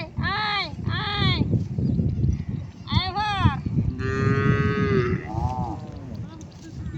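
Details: Cattle that crossed a river to the far bank for grass give a drawn-out, steady moo near the end, after repeated high calling voices and a person's shouts, with background music.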